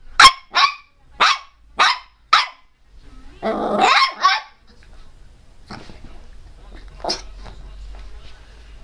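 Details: Pinscher named Teco, a pet dog, barking: five sharp high barks in quick succession, then a growling snarl, then quieter scattered yips.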